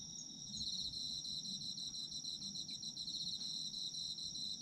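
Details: Autumn insect voices recorded for sleep: a continuous high-pitched shimmering trill with quick pulsing chirps over it, steady throughout, soft low rumble underneath.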